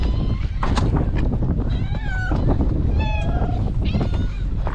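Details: Stray cats on a cat island being fed breakfast, recorded on a GoPro HERO8. Repeated drawn-out meows bend up and down, one clearly falling at the end, with faint human voices and steady low background rumble.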